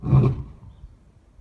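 A white lion gives a single deep, rumbling roar that quickly fades away.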